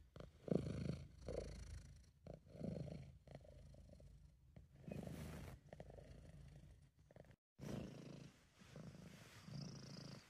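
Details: Sabu, a pet British Shorthair, purring while relaxed and happy: a soft, deep rumble pulsing in breath-length waves, briefly dropping out near the middle before resuming.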